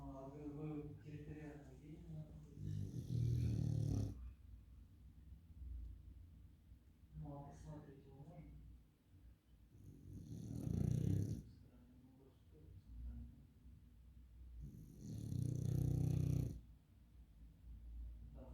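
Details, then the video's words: Sleeping Beagle snoring: three long, rasping, low breaths roughly six seconds apart, each swelling loud then fading, with people talking quietly in the gaps between them. "Бигль спит) и храпит))"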